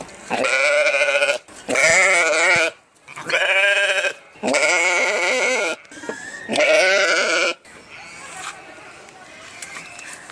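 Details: Sheep bleating repeatedly, five loud quavering calls with rich harmonics following one another with short pauses, then a quieter stretch of background noise at the end.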